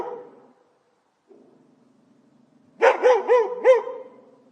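A dog gives a quick burst of four sharp, mid-pitched barks after a brief, quieter sound.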